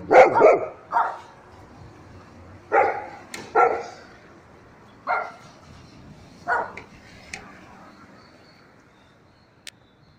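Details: Domestic dogs barking, from a compilation of various breeds: short harsh barks in scattered bursts, some doubled, separated by quiet gaps of one to two seconds, a few sharp clicks between them.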